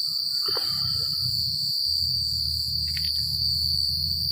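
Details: Crickets chirping through a country night: a sustained piercing trill with steady pulsations above it. Two brief, louder sweeping chirps from another creature break in, and a low rumble lies underneath.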